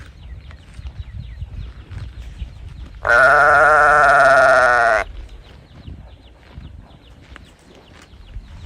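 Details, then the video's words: A single loud, sustained bawl of about two seconds from a calf crying for its mother. The call is harmonic with a steady, slightly falling tone, and the background is quiet before and after it. "母親を探して鳴く子牛 ｜本物の牛の鳴き声"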